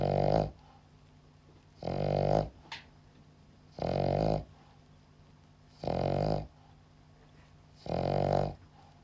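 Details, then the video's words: Sleeping dog snoring loud, rough nasal rumbles repeating steadily about every two seconds, five in a row with quiet gaps between. "cute dog snoring loud when sleeping"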